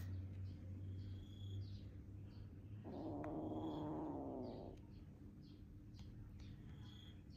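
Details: A rescued kitten cuddles with the big cat Tony as it would with a mother cat; one drawn-out, steady, fairly low meow lasts nearly two seconds over a soft constant hum, with quiet background noises.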